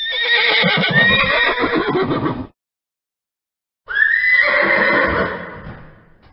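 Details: A horse whinnies twice, each a loud quavering neigh that slides down and fades.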